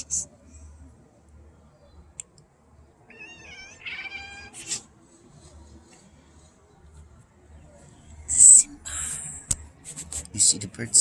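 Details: Pet cats chatter at birds outside, giving a quick run of high chirping chatter for about two seconds before going quiet, while a person talks softly; later hissing, rustling noise.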